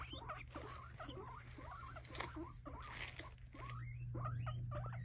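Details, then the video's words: Several excited guinea pigs calling while they wait for food, a busy overlapping chorus of quick squeaky rising chirps and short whistles, fairly soft, over a steady low hum. "Excited guinea pigs waiting for food."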